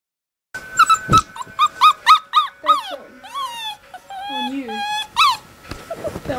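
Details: Puppy crying loudly in a rapid series of high, wavering whimpers and yelps, about four per second, some rising then falling in pitch, with a few longer sliding whines near the end.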